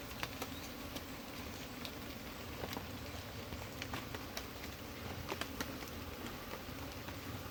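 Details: Honey bees from a colony caught from the soil are let down into a pit dug in the ground. A low, steady buzzing hum runs throughout, with scattered soft clicks and patter of handling.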